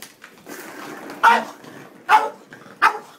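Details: Boston Terrier named Moe, excited over a cat toy he cannot manage, gives three sharp indoor barks spaced under a second apart over low background murmur.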